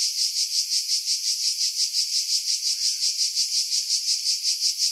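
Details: Cicadas singing in July 2018 in pine trees about 50 m above the sea at Pefkos Bay, Skiros Island, Greece: a shrill, high buzzing that swells and fades in rapid, even pulses, several per second, with no other sounds.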